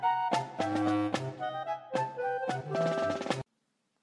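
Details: A short burst of drum-kit and brass music with punchy beats cuts off abruptly into silence, and no animal sound is present.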